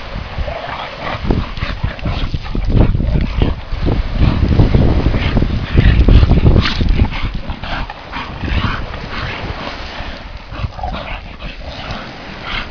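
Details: An English bull terrier gives low, rough growls and snorts amid scuffling and thumping while playing with a bulldog.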